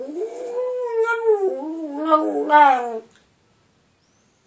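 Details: A pet dog howling, which wakes its owner: a drawn-out tonal howl lasting about three seconds, wavering and rising slightly in pitch, with a rich stack of overtones, followed by silence.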